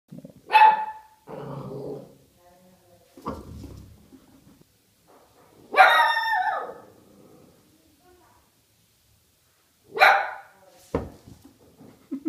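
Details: An Italian Greyhound, scared of a fake horse, lets out sharp, high barks in short bursts, with quieter sounds between them.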